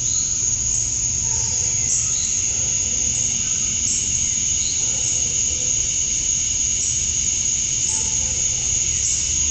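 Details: Dusk in summer in Georgia, USA, with male cicadas chirping to attract females: a steady piercing high drone throughout, with faint scattered whistled notes lower down.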